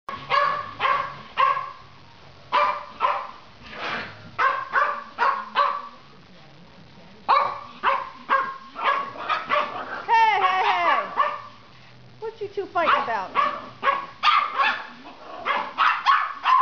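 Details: A Silky Terrier and a Papillon puppy in a playful barkfest: bursts of sharp, high yapping barks in quick runs, a brief pause near the middle, then whiny, sliding yelps mixed in before the rapid barking resumes.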